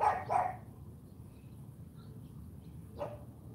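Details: Barks from Charme, an AKC champion Cane Corso puppy, during a morning training session: two quick barks in close succession, a pause of about two and a half seconds, then one more single bark.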